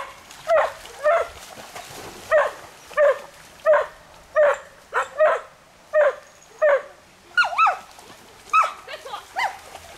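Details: Smooth Collies swimming with a border collie and a shih tzu, barking as usual; sharp barks with bright harmonics come roughly every half second to second, some doubled, over splashing water.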